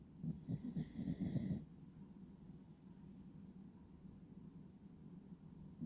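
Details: Beagle named Wiru, a pet dog, snoring while asleep with eyes half open: a rough low rasping snore pulsing quickly for about a second and a half, with a high tonal sound effect on top, then quiet breathing hiss.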